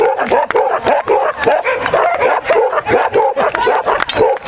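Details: Sharp, repeated barking from Angus, a dog in the 2012 International All Breeds Cup agility final, his fifth run of the day after three days of competition. The barks come quickly and steadily, with faint voices in the background.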